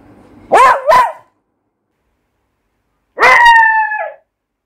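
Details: Beagle puppy barking loudly: two quick, yelping barks close together, a pause of about two seconds, then one longer, drawn-out bark that slides slightly downward like a short howl.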